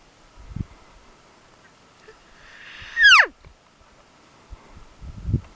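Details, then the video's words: Wild 7x7 bull elk on public land during a hunt, bugling to call cows: a rising, building whine climbs into a single loud, piercing whistle that drops steeply away, with rustling before and after and a hunter speaking softly. "Bull calling cows bugle!"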